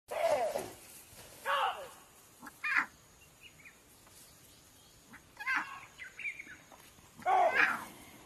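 A lion cub gives short, high, strained roaring calls, each a brief rasping burst with pauses between.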